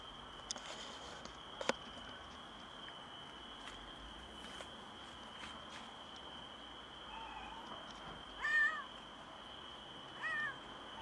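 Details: Stray female cat on a balcony, meowing strangely just after giving birth to a premature kitten; a faint meow, then two short wavering meows near the end, over a steady high whine and scattered clicks and taps.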